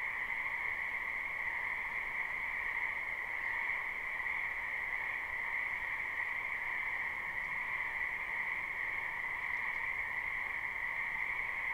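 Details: Frogs croaking together in a spring wetland, live recording with no looping: an even, continuous buzzing chorus of many callers, with no other clear sounds.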